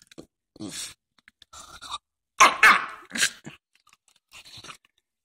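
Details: Jack Russell Terrier making a strange noise: about six short, harsh, noisy bursts spread over five seconds, the loudest in the middle, separated by brief silences.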